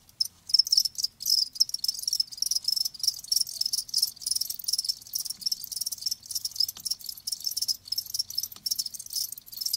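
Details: Crickets heard live, a bright high-pitched chirping chorus of rapid pulses broken by short pauses, steady throughout, nothing else audible.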